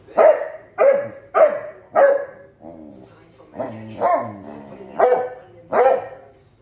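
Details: Basset Hound named Bandit barking at Tank, a Victorian Bulldog, right in his face: four quick, evenly spaced loud barks, a brief softer groaning note, then four more barks in steady rhythm.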